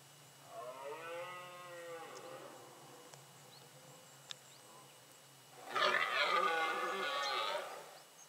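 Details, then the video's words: Rutting red deer in a remote Pyrenean mountain forest and pasture in late September, during the breeding season. A moderate, drawn-out groaning bellow comes first. After a pause, a much louder, harsh, roaring bellow lasts about two seconds. "Brame du cerf"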